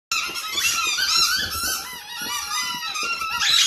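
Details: Male boxer dogs, more than one, giving continuous high, squeaky whines with wavering, overlapping tones that rise and fall, steady throughout with a brighter squeal near the end.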